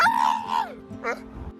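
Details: A rescued pit bull leaning out a car window screams with joy when the engine starts, at birds or for attention: a high, drawn-out scream sliding downward, then a shorter yelp, over soft music.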